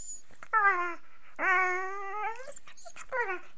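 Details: A female Beagle puppy, while playing with her owner, gives drawn-out, tuneful howls that rise and fall with strong harmonics; these are typical beagle sounds.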